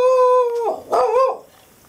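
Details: Pet dog complaining loudly after thunder, giving a long steady tonal howl with rich harmonics that breaks into a wavering, rising-and-falling moan before fading to silence.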